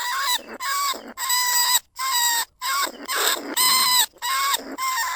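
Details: Lesser bandicoot rat calling from a trap cage in rice fields at Na Lao, Nong Khu Phai, recorded live in 2569 as a lure for other rats. Harmonic, nasal squeals in half-second bursts, repeated about twice a second with brief silent gaps.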